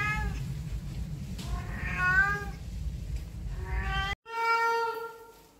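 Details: Domestic cat that meows whenever people are around, giving several harmonic meows: a wavering one near two seconds, a rising one near four seconds, then a clear steady meow after a brief cut, over low rumbling background noise.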